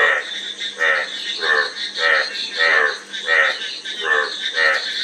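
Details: Raspy frog croaks come roughly every two-thirds of a second, about eight in quick succession, each a brief rattling burst of pulses, with a faint steady hiss behind.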